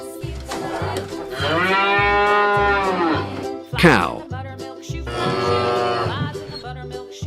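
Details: Two drawn-out, deep harmonic moos from a cow. Each lasts over a second and swells, then fades. Steady background music plays throughout, with a short noisy burst between the calls.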